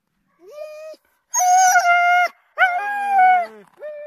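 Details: Siberian Huskies at a husky farm in Rovaniemi, Finnish Lapland: three clear, drawn-out tonal howls. A short rising one comes first, then a long, steady, loud howl, then a third that slowly falls in pitch. Near silence lies between them.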